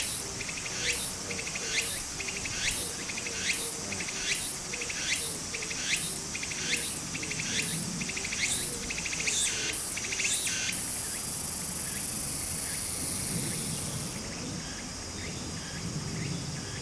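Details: Cicadas singing in summer beside a stream in Japan: rhythmic buzzy pulses about once a second for ten seconds, then a steady shrill high-pitched drone, over the constant rush of flowing water.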